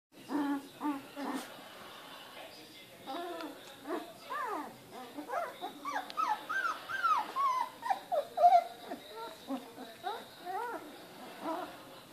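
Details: Australian Shepherd puppies, 19 days old, born on 12 December, in a litter including Jonah and Bandit: many high, rising and falling whimpers and squeals overlapping, with short yelps in quick bursts throughout.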